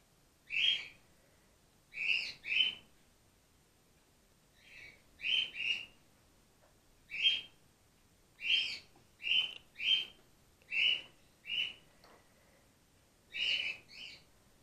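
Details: Grey-headed flying-fox pup named Gwickle, hand-raised in care on her second day and bottle fed while her concussed mother recovers; loud, shrill squeaks, often paired, repeated about every one to two seconds throughout.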